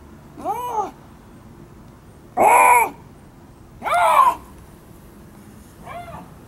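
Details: Captive Siberian lynx at Hamura City Zoo giving four arched, harmonic meowing cries spaced one to two seconds apart. The middle two are loudest and the last is faint, with quiet pauses between.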